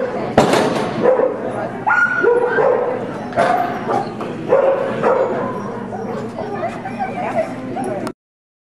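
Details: Excited dog at an AKC agility trial in Oklahoma City, 30 January 2009, screaming out when the handler says "Weaves"; short shrill yelps and whiny cries come every second or so, mixed with crowd chatter and hall noise.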